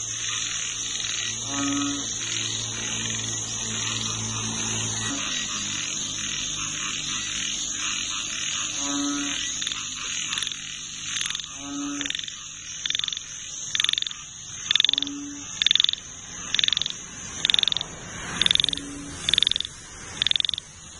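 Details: Frogs in a nature chorus give short, low harmonic croaks spaced a few seconds apart, over a constant high, insect-like hiss and a rhythmic high pulsing that grows louder toward the end.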